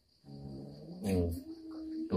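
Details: Pet cat Moa, confronting an uninvited guest, lets out a steady harmonic moaning growl that swells midway and holds for nearly two seconds. A sharp noise cuts in at the end.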